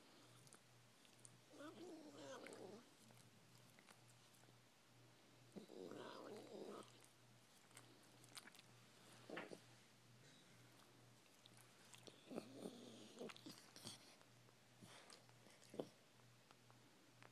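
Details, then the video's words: Pet Chihuahua giving an odd little vocal noise as it licks someone, in a small room: brief rough, moaning bursts a few times, separated by quiet stretches of licking and smacking clicks, with a constant low electrical hum. "Chihuahua making Funny Noise"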